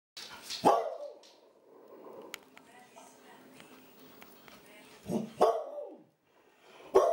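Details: Old, happy female Clumber Spaniel; three short, sharp barks with rising-then-falling tone, one near the start and two around five to seven seconds, quiet room sounds between.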